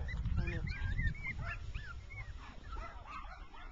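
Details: Six-week-old rough coat Jack Russell Terrier pups out in the grass beside their mother, letting out quick curling yelps one after another over low rumbling noise and a person speaking.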